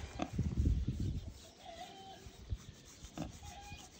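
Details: Wild boar, one of a tame, affectionate pair kept by people, recorded the day one had a stomach upset; deep, irregular grunting bursts in the first second and a half, then quieter scattered grunts, with faint thin whistled tones in the background.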